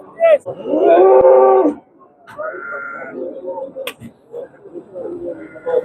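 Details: Cattle at a livestock bazaar in Andijan, Uzbekistan, where bull prices have dropped: one drawn-out, harmonic low moo lasting about a second, followed by men talking and market chatter.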